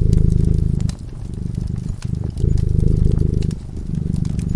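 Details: Peacefully slumbering cat at a fireside; rhythmic rumbling purr with clear in-and-out breath phases and brief pauses, set against frequent crisp crackles and pops from the fireplace.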